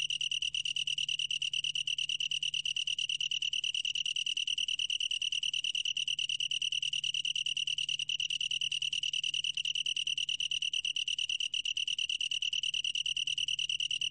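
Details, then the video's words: Long-tailed tree cricket singing in a 2020 recording: a steady, high, ringing trill made of rapid pulses, continuous for the whole stretch with no pauses, the only clear sound. "긴꼬리, 여러번 듣기, 곤충소리"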